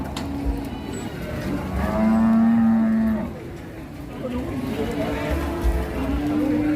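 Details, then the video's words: Cattle in Indonesia, described as raging, give a loud low moo of about a second with a steady pitch, rising in loudness and then fading, over background chatter and rumbling. "KUMPULAN SAPI NGAMUK 2022‼️ POLAH E BIKIN GEGER ❌"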